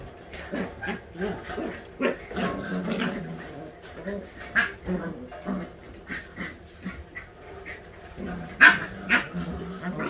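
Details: All-white husky puppies at eight weeks old during playtime, giving short yips and growly barks in quick irregular bursts, one sharper high yelp standing out near the end, with light bumping and knocking between calls.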